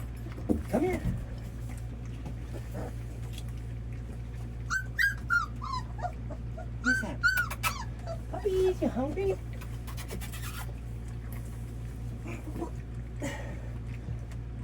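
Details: Red Labrador Retriever puppies at their first feeding give thin, high whimpers and squeaky whines that rise and fall in short bursts around the middle, mixed with a person's coaxing speech and a steady low hum.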